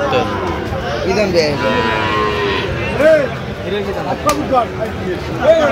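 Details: Cattle market in Kurigram, Bangladesh, with Sahiwal bull calves for sale: short arched moos recur every second or so under steady crowd chatter, with a sharp click near the end.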